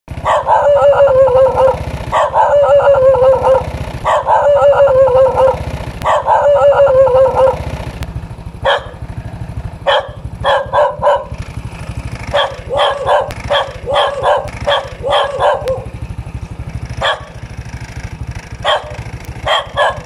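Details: Dog barking: four long, tonal, slightly wavering barks about two seconds apart, then a looser series of shorter, sharper barks, over a steady low engine-like rumble.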